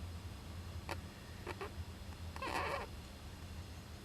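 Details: Young Japanese giant flying squirrel in an owl nest box, recorded 19 July 2010; a short harsh, noisy burst with a rough, nasal tone, preceded by soft clicks, over a steady low hum.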